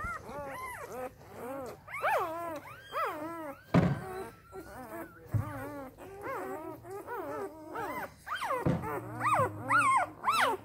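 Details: Three-day-old Samoyed puppies from the A litter of Arctic White Cherry, crying in a chorus of high arched squeals and whimpers, overlapping and repeated rapidly, with a few soft thumps and low hum beneath.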